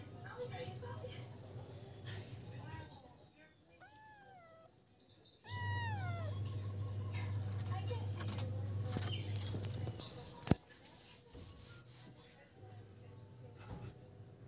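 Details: Feral kittens playing together on wood: a few short, bent meows that rise then fall come in quick pairs around the middle, with a low hum, handling noises and a sharp knock.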